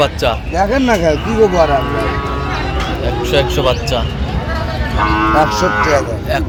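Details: At a Chattogram cattle market in Bangladesh on 29 January, Sahiwal bull calves low: a wavering, rising-then-falling moo opens, another shorter lowing follows late, over constant talking of buyers and traders nearby.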